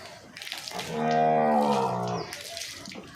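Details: A young Banni buffalo cow, seven months pregnant in her second calving, bellows a deep drawn-out moo that swells to full strength, holds for about a second and sags in pitch at the end, with faint rustling around it.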